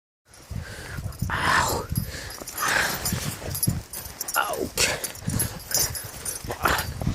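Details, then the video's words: A five-month-old Dogo Canario puppy in Transilvania, attacking during play: harsh broadband growls and short yapping bursts with rising and falling tones, mixed with scuffling noises. "Dogo canario attacking, 5 month old puppy"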